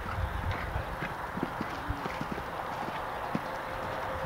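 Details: Horse on a show jumping round in the jumpers Table II section at an outdoor horse show: dull, irregular hoof thuds and clip-clops spaced through the clip, with faint crowd murmur behind.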